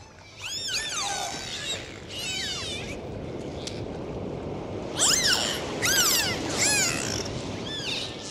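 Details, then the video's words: Underwater dolphin whistles come in two clusters: rising and falling sweeps early on, a quieter gap, then a louder run of arched, repeated whistles in quick succession over a constant rushing sea noise. "Sound of Dolphins. Full dive 4K"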